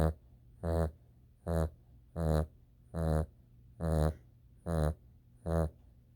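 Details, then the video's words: Dog snoring while asleep: deep, rasping breath sounds, each about half a second long, repeating steadily about every 0.8 seconds, with a low steady hum underneath. "Snore Reggie Snore"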